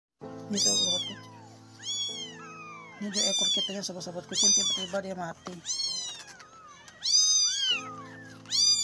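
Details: Stray kittens, two young street kittens described as unable to survive, crying with high, piercing meows that rise then fall in bursts roughly every second or two, over steady background music.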